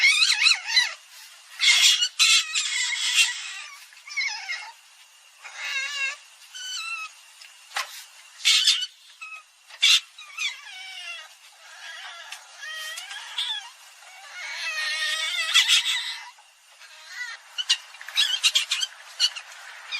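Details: Common palm civet giving wavering, squawking squeals, some drawn out and quivering, others short and harsh, overlapping in dense runs with few pauses.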